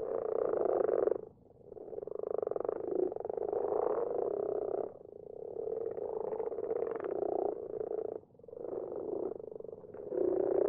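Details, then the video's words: Several common frogs in a garden pond, recorded at night: low, purring, pulsed croaks overlapping into a steady chorus, broken by brief dips at about 1, 5 and 8 seconds. "Bruine kikkers in de vijver."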